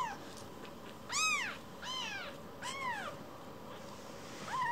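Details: Baby rescue kitten Kira meowing indoors, sad after getting lost in the house; four rising-then-falling high cries spaced about a second apart, the first the loudest, over quiet background noise.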